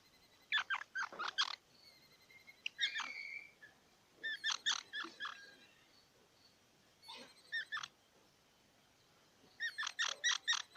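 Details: Squirrel chattering in bursts of several quick, harsh squeaks, each group separated by about two seconds, over a steady low background hiss.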